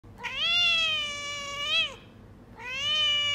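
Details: A Persian kitten meows loudly indoors: a long, clear, slightly rising-then-falling mew of nearly two seconds, a short pause, then a second strong mew, both rich in harmonics, with no other sounds.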